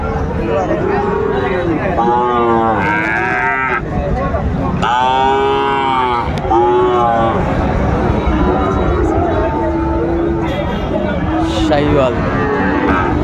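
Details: Sahiwal cattle, including bull calves, at a livestock market in Chattogram, Bangladesh, 19 December 2024: several loud, overlapping harmonic moos, some rising then falling, over constant market crowd chatter and background noise.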